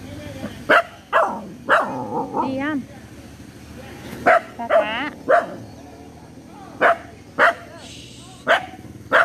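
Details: Dogs at play, giving short sharp barks in irregular bursts of one or two, mixed with wavering, rising-and-falling whine-like tones and human voices between the barks.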